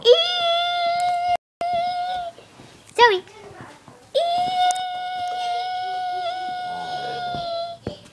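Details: A pet dog howling indoors while its owner sings the Mickey Mouse song; long steady tones of two to three seconds, broken by a short vocal gliding burst, voices in the room.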